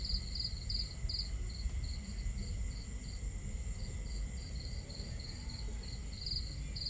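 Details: Under a starry sky at camp, crickets give bright, rhythmic chirps, bunched early, then slower and regular, with a faint continuous high whine and a dense low bed of water and fire crackle.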